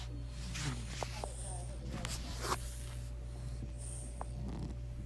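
An English Bulldog puppy snores with low, rumbling breaths.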